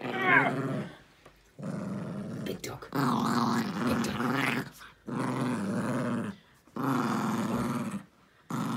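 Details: Pet dog Jiffy, shaking and 'killing' his stuffed toy elephant after dinner indoors, growls in long rough low bursts of about a second each. A person's voice comes first, then the throaty rumbles follow with short pauses between.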